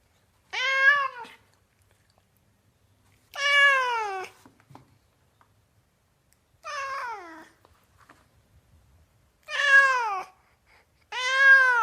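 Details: Domestic cat meowing indoors: five separate harmonic meows spread over about twelve seconds, each short and falling in pitch at the end, with quiet gaps between them.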